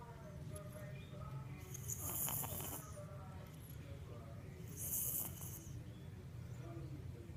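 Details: Sleeping cat snoring: two breathy, rasping bursts roughly three seconds apart over a steady low hum.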